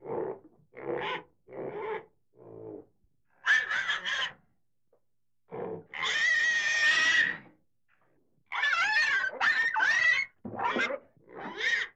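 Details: Pig giving short grunting bursts that break into long, harsh, harmonic squeals, some held over a second with a wavering tone, separated by brief silences.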